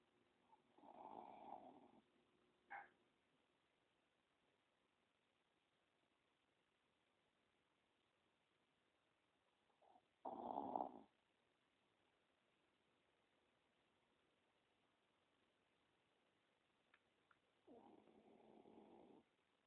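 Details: A pet Chihuahua sleeping with its eyes open snores in three separate bursts, around one, ten and eighteen seconds, each a rough, breathy rasp, with quiet pauses between them.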